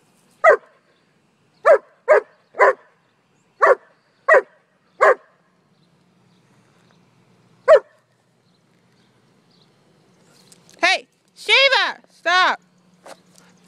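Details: Playing with her ball, four-year-old German Shepherd Sheba gives eight spaced, punchy barks, then a pause and a last bark, ending in a burst of high, wavering whines and yelps. A person urges her to drop the ball.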